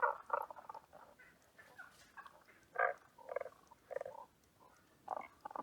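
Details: Tago's brown frog at Asamushi Aquarium, giving short, low, grunting croaks in uneven clusters of two to four notes with brief pauses between them, over a faint background hiss.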